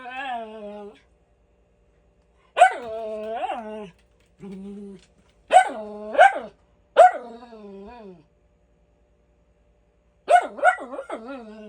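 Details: Miniature Schnauzer indoors barking for no apparent reason: sharp harmonic barks that slide down into whining, drawn-out tails, in bursts of two or three separated by pauses.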